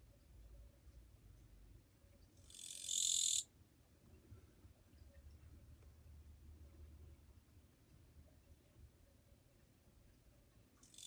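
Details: Kirigirisu (Japanese katydid) heard on 2 July 2023, singing fairly softly. One shrill, raspy buzz of about a second stands out against low background rumble, and a second buzz begins at the very end.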